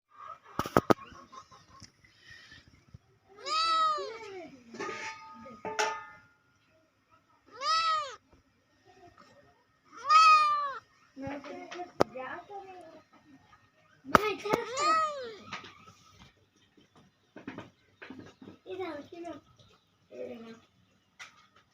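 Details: Domestic cat meowing repeatedly, about eight clear arched, slightly whining meows spread over twenty seconds, some drawn out and some short, with a few sharp clicks and soft rustling between calls.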